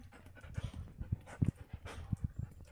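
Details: Doberman dog panting in quick, rhythmic breathy puffs, low in pitch and fairly even, several bursts each second through the short stretch, with no other clear sounds.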